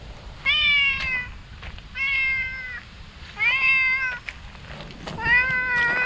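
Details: Outdoor stray cat cries loudly in delight at seeing a person, four strong, even meows roughly every one and a half seconds, clear above a quiet background.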